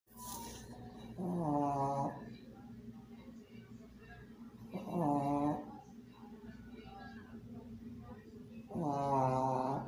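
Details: A female pug sleeping with her plush toy snores in long, rasping, rattling breaths, repeated every few seconds over a low hum.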